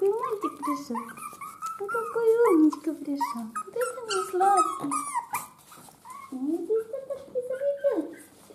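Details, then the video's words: Chihuahua puppies from a litter born on 5 April 2019, indoors: overlapping high, wavering whimpers and squeaks, some sliding up or down, crowding the first five seconds and returning after a short lull, with faint human speech. "ЩЕНКИ ЧИХУАХУА"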